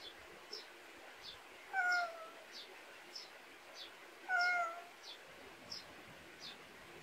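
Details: Pet cat raised in the countryside, in a backyard in Korea: two drawn-out, slightly falling meows about two and a half seconds apart, over a steady train of short, high chirps repeating roughly twice a second.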